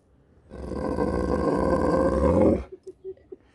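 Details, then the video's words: Sherpa, a dog in the UK, speaking to people who speak back: a loud, rough, drawn-out groaning cry lasting about two seconds, then a few short soft sounds as the people nearby answer. "Dog speaks to people and they speak back"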